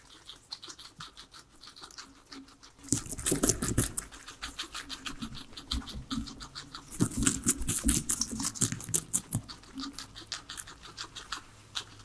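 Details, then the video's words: Veggie-eating trio of pet guinea pigs: soft crunching at first, then loud, dense bursts of crisp chewing around four bites per second, easing off near the end. "asmr guinea pigs eating veggies"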